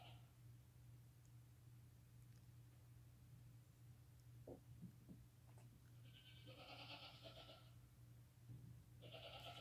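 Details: Newborn lambs less than five hours old, walking and nursing with their mother; a few soft clicks, then a strong quavering bleat from about 6 to 7.5 seconds and another beginning near 9 seconds, over low steady hum.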